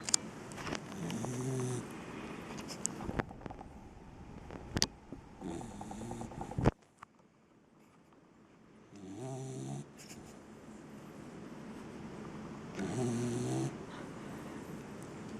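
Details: Seven-month-old English cocker spaniel sleeping and tired, snoring in low, rasping, harmonic bursts, each lasting about a second, repeating roughly every four seconds with quiet breathing gaps between them.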